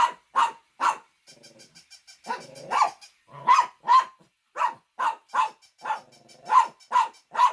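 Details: Dog barking loudly in quick bursts, sharp clipped barks repeated irregularly with a short pause of softer yipping sounds midway, then several more barks in succession.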